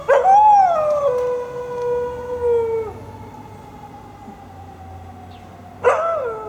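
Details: Siberian Husky howling in response to fire truck sirens: a long tonal howl sliding down and then holding steady for about three seconds, followed by quieter lingering tones and a second howl starting near six seconds.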